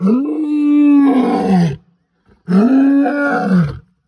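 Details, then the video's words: At night, a N'waswishaka male lion on territorial patrol gives two long, deep, moaning roars that swell, hold, then sag away. "Lion roar on patrol"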